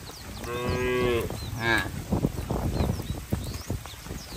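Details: Cattle herded to the farm barn in the rainy season; a short harmonic moo near the start and a brief second call, followed by thuds, shuffling and splashing footsteps with faint birds.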